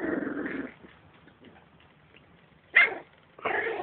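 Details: Three-week-old Beagle puppies: rough, growly bursts open and close the moment, with a single sharp, high yelp in the quiet stretch between them.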